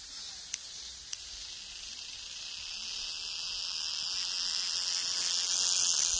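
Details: Cicada singing: a continuous high, hissing buzz that slowly swells louder over the clip, with two brief clicks near the start.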